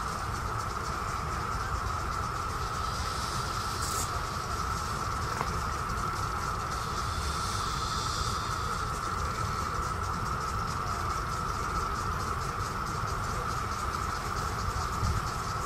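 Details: A Brood X periodical cicada chorus during the 2021 emergence in Virginia (Great Falls National Park or Mount Vernon) makes a continuous, even whine holding one pitch without a break, over a low rumble of wind or distant traffic.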